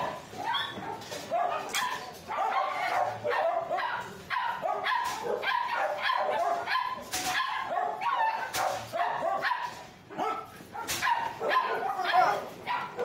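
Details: Siberian Husky at a pet shop while being prepared for shipping to a new home. Rapid, busy yips and short barks come in dense bursts throughout, mixed with a person talking and some background music.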